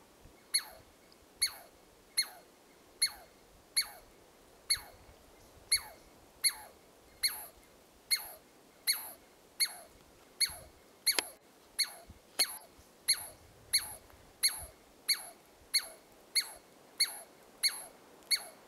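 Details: Douglas squirrel giving an alarm call at Carpenter Saddle, Carpenter Mountain, H.J. Andrews Experimental Forest, Oregon, USA; sharp, squeaky barks with a downward sweep, repeated steadily at just under one per second, about two dozen in a row.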